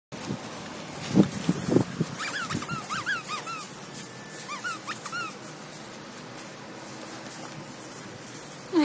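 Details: Nine-week-old Pyrenean Mastiff puppies from Ivana's litter play with new toys, giving a run of high, squeaky whines in short rising-falling bursts, with a few low thumps and grunts near the start.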